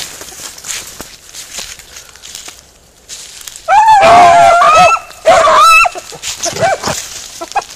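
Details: Beagle Harrier in a ploughed field, heard after a quiet start, delivering two long, musical bays each lasting over a second, then a few fainter yelps trailing off.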